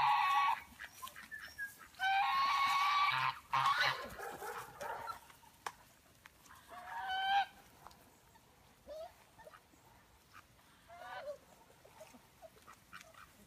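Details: Litter of eleven Belgian Malinois puppies aged five weeks, five males and six females, cry in loud bursts of strained, high harmonic whining early on, then scattered softer whimpers trail off.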